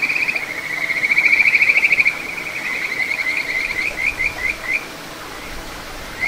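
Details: Kajika frog, small satoyama stream, Ichihara, Chiba, Japan, June 9, 2022: a loud pulsed trill that swells, then breaks into a series of separate rising chirps spaced about a third of a second apart, water murmuring throughout.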